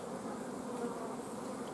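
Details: Honey bee colony at an apiary on 14 June 2016, with the queen blocked from laying and no eggs accepted because of a lack of forage and nectar flow; a dense, steady, low humming buzz from many bees, unbroken throughout.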